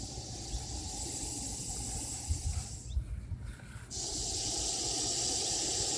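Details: Loud hissing from a Russell's viper: steady airy hiss for about three seconds, a short quieter gap as the snake draws breath, then a strong sustained hiss to the end, with low rumbling background noise.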